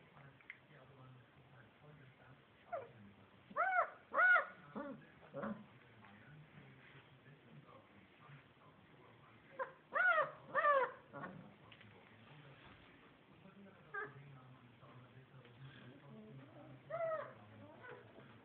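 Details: Basset Hound puppies from litter C of the Seligenporten kennel, giving short, high, tonal squeals and whines in bursts near four, ten to eleven and seventeen seconds, with quiet gaps between and a low steady hum underneath.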